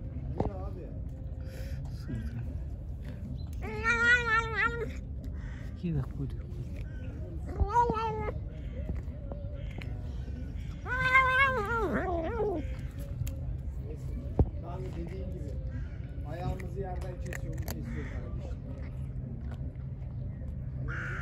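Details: Hungry pregnant stray cat, angry after being given food, gives a series of harsh, wavering meows spaced several seconds apart, some long and strained, with a human voice and low rumbling background noise between them.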